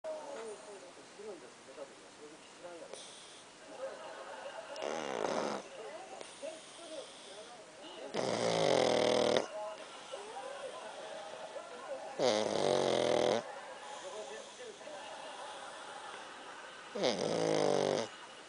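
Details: Pakkun the dog snoring: breathy, rasping inhalations lasting about a second, with a faint whistling edge, recurring roughly every four seconds, with quieter breathing and faint voices in the background between snores.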